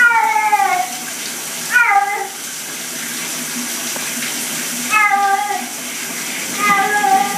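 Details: Cat put in the shower making an odd sound: four drawn-out, falling, wailing cries, each under a second long and a couple of seconds apart, over constant running shower water.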